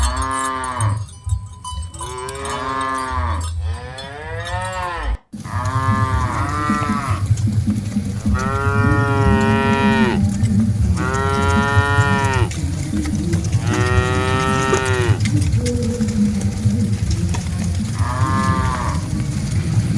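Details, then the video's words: Many cattle being herded together call over and over: a long run of overlapping, arched moos with rich harmonics, one after another, briefly interrupted by a sharp click. Heavy low rumbling from the moving herd continues beneath. "Aktivitas Mengiring Puluhan Sapi Lembu Lucu Suara Moo - Suara Sapi Moo Yang Lucu"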